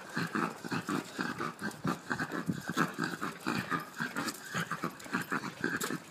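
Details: Jack Russell terrier producing a steady run of gruff, pulsing growl-like grunts, several per second, varying in strength across six seconds, with a few sharper clicks mixed in.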